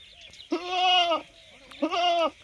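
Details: Goat kept in a cooled room, brought out to a field today and unsettled there, giving two loud, nasal, wavering bleats, each under a second, separated by a short quiet gap.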